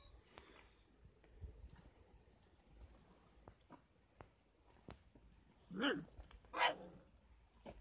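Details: Kangal puppies, 33 days old, at a Kangal dog farm, give two sharp, rising yelps in quick succession near the end, after a stretch of quiet rustling and soft taps.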